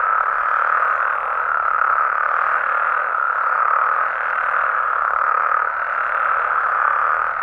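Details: Frogs and toads calling at night in Mexico: a dense, unbroken chorus of overlapping croaks forming a steady mid-pitched buzzing wall that swells and fades slightly, with no single caller standing out.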